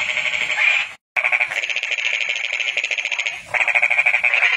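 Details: Calling toad producing a steady, rapid pulsed trill, high and buzzy, sustained across the clip with one short break and a slight shift in tone midway.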